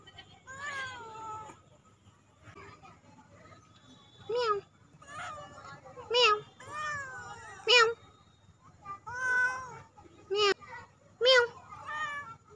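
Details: Domestic cat being played with; repeated loud meows, some drawn out and falling, others short, about one every second or so, with a person talking softly between them.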